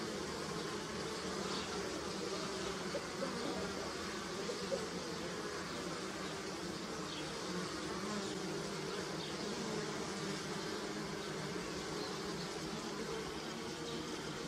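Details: Bees swarm flowering willow in early spring in Europe, a continuous, low, thick droning hum of blended wingbeats, with faint rising and falling whines as single bees pass close.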